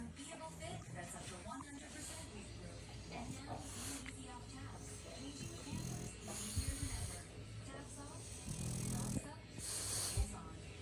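A French Bulldog gives low, rumbling growls mixed with snuffling snorts and breathy hisses, coming in uneven bursts. A woman's voice speaks at times, and faint background music can be heard.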